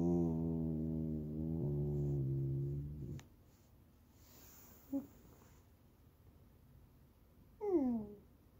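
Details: Whining Goldendoodle puppy asking for snacks or petting: a low, steady, hum-like moan lasting about three seconds, then near silence broken by one faint squeak and a final short, high, falling whimper.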